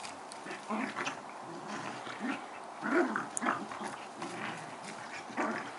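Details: Two collie-cross dogs, Badger and Pirate, play fighting: a string of short, rough growls and grumbles in uneven bursts, some louder snarling pulses near the middle, with scuffling and thumps of bodies moving.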